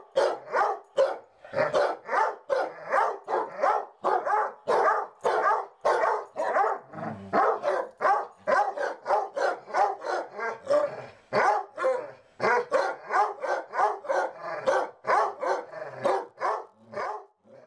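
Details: Two pet basset hounds barking indoors, carrying on after the lights go out; a rapid, continuous stream of deep, full barks, roughly two to three per second, overlapping at times and barely pausing.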